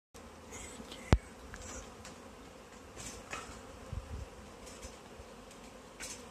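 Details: Honey bee swarm that has settled high in a tree, being caught and collected into a bag; a steady low droning hum of many bees fills the clip, broken by a few sharp knocks and clicks from the handling.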